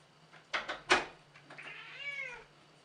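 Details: Indoor elderly cat, about 14 and grumpy with visitors, after a few sharp knocks gives one long arched meow that rises then slides down, with a low electrical hum underneath.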